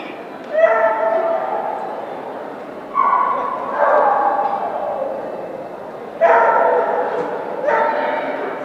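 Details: Keeshond during an Excellent Standard agility run at a Keeshond club trial in Southern California on 29 December 2011. Five loud harmonic barks sound at irregular intervals, each sharp at onset and trailing off, over a steady crowd and hall noise.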